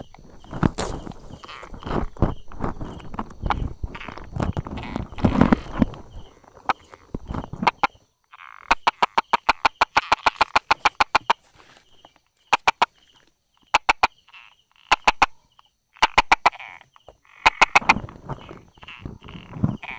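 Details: Brauer's tree frog tucked among rock crevices and grass, 22 July 2016 at 10:44; heavy rustling handling noise first, then a long rapid run of sharp clicks followed by short bursts of two to four taps.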